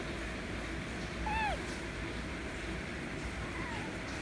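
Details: White kitten demanding affection with a single short, bent meow that rises and drops, then a much fainter meow near the end, over a steady hiss of background noise.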